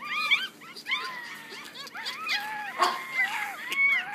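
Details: Softer, drawn-out whines and thin squeaks from six Yorkshire Terrier puppies aged one week, some notes held flat and long, others short and curved, with a faint background hum.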